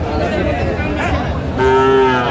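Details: Sahiwal bull calf at a Comilla cattle market on a Saturday in April 2025 gives a short, level, tonal moo near the end, over voices and crowd murmur.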